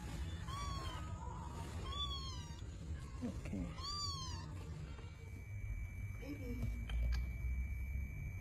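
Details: Hungry rescued stray kitten taken from a public street, giving thin high rising-falling mews, three clear calls in the first half then quieter ones, over steady background noise and a faint tone.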